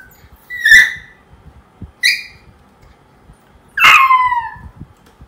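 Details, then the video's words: Crying poodle puppy, left alone: three sharp, high whimpers about a second apart, the last a longer wavering wail that falls in pitch, against a quiet indoor background. "SEDIH DENGAR PUPPY POODLE MENANGIS SAAT DITINGGALKAN SENDIRI"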